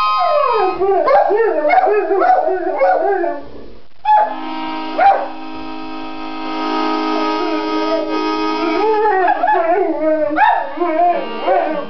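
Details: Two pet dogs howling along to their owner's harmonica: wavering, sliding howls rise and fall in the opening seconds and again near the end, while held harmonica chords fill the middle stretch.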